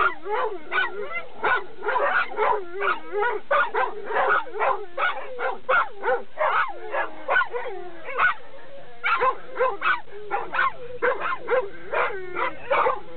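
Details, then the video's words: Noisy Labrador Retriever nearing a dog run, barking almost nonstop: a rapid, uneven stream of loud barks and yelps, with short pauses and a low hum under the later part. "ラブラドール ランに近づくとうるさいです。"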